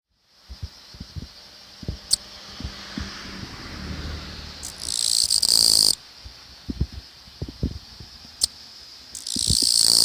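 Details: Japanese katydid singing in a newly built residential district in the Tokai region of Japan, not stopping as the camera approached; loud harsh buzzing trills in long bursts near five to eight thousand cycles, separated by quiet gaps with scattered faint clicks and taps.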